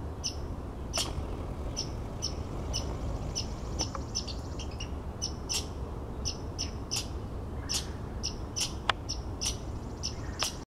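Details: Red squirrel making a harsh noise outside a window: repeated sharp clicks and thin high squeaks, with a few louder cracks. They run irregularly throughout over low constant background noise, and the recording ends abruptly.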